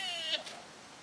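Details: Deer at Nara Park in Japan, 30 March 2022: one brief, bleat-like harmonic note sliding slightly downward, with a short breathy sound at its end.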